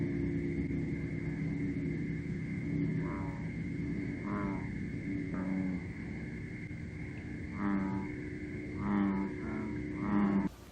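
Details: At night in weedy water, invasive American bullfrogs give deep, droning, moo-like calls in short bursts while being hunted with a light.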